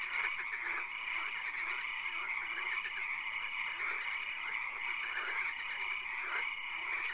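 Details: Frogs calling in a swamp at night: a dense, steady chorus of high trilling notes in layered bands, with faint pulsed calls repeating beneath, and a constant high insect-like hiss throughout.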